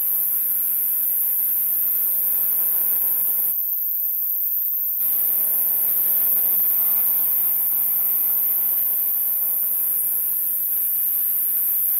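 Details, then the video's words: Male sword-bearing conehead katydid (Neoconocephalus ensiger) singing at night in a temporary enclosure: a steady, unbroken high-pitched buzz, cut out briefly for about a second and a half, over a faint low hum. "A male sword-bearing conehead katydid singing and dancing"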